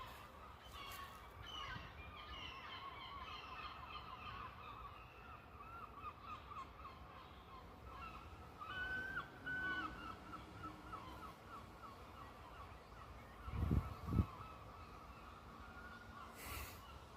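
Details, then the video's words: Syrphus hoverfly in Scotland, sitting on the camera after landing, giving a strange noise: a thin, steady high whine with wavering pitch throughout, briefly rising near nine seconds, with low thumps around fourteen seconds and a quiet voice. "Syrphus Hoverfly makes strange noise when it lands"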